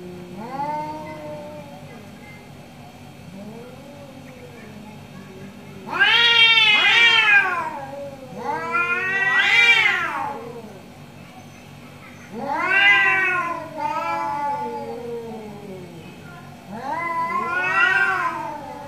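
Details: Morning standoff between two orange cats, drawn-out yowling meows in four loud bursts, each swelling and bending downward, with quieter low moaning calls between them.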